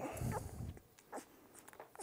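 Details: Two-week-old puppy indoors during its routine first deworming, letting out a short low whimpering grunt at the start, followed by faint clicks and soft rustling.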